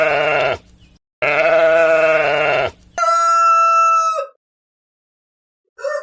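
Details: Sheep on a farm giving loud, steady, drawn-out bleats: two long, even cries, then a higher, clearer bleat, with a brief further call at the end.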